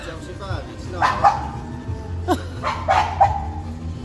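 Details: Dog in a dog-friendly pub barking in a way that sounds very menacing yet shows no aggression. Short, harsh barks come roughly every second, three or four in all, over people talking and faint music.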